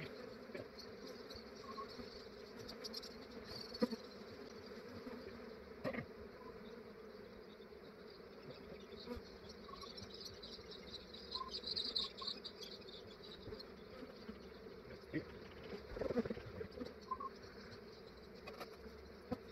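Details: Honey bees of a large swarm being captured early in the morning in Australia, before warmth roused them; a continuous mid-low buzzing drone, with occasional sharp knocks and rustles from the collecting work.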